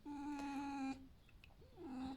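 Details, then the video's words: A pet fox, awake indoors at breakfast time, gives a long, steady, nasal whining note lasting about a second. After a short pause, a second, shorter whine follows, with a person's voice nearby. "Лис Альф завтракает"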